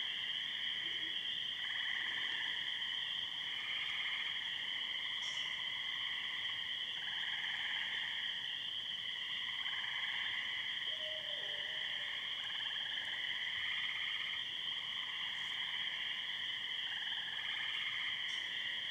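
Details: A dense spring peeper chorus of many high, shrill peeps blending into a continuous ringing wall of sound, with tree frogs and an owl behind. Recorded on a wet night in a pasture in Muskoka on 22 May 2013, after heavy thunderstorms.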